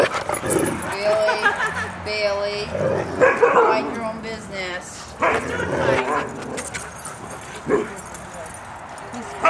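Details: Huskies, about two dozen, running, playing and wrestling together on 23 April 2010; high harmonic whines and yelps come in several short bursts, some wavering, over rough scuffling noise and people talking nearby.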